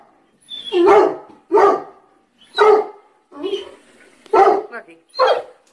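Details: Domestic dog indoors, barking repeatedly at the bathroom tub with no obvious cause; six sharp, harsh barks spaced roughly a second apart, some slightly echoing, with faint background noise between them.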